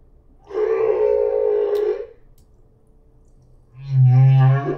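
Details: Humpback whale, a solo singer at the Silver Bank in 2015, opening the fourth section of its repeating song. A long harmonic-rich moaning unit lasting over a second, a quiet pause, then a deep, loud, buzzy groan with rising overtones.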